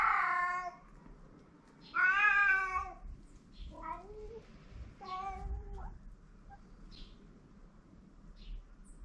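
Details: Free-roaming stray cats on a Japanese cat island, filmed during mating: loud, harmonic wailing meows, the strongest near the start and around two seconds, followed by shorter falling cries and fainter calls, with low background rumble.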